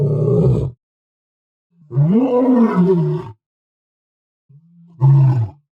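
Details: Lion producing low, rough roars: a short burst, then a longer harmonic roar that rises slightly and falls over about a second and a half, then a final brief loud grunt.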